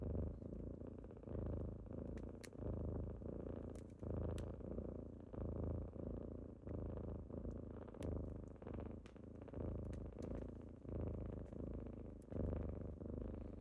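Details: Morning purring from kittens waking someone up, recorded inside: continuous deep, throaty rumble rising and falling in regular breaths roughly every 1.3 seconds, with scattered light ticks and crackles over the top.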